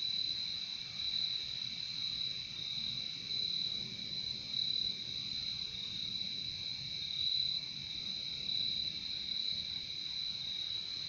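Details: Crickets heard in a nature recording: a continuous high, shimmering trill of many insects with gentle pulsing swells roughly every second or two, steady throughout with no other clear sounds.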